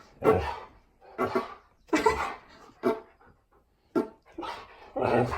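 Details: Pet dog at home arguing back at its owner over fart sounds, giving a run of loud, rough, throaty vocal bursts roughly once a second, some grumbling and some yelping, with short silences between.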